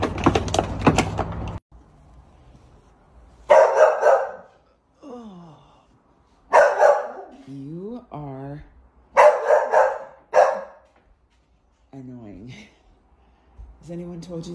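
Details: Pet dog indoors, said to be sad when its owner leaves, giving sharp barks between high whining, wavering cries while a person talks to it in a small room.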